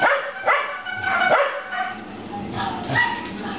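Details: Puppies romping in play, letting out a quick run of sharp, high yips and short barks in the first second and a half, then softer whining tones over a busy background.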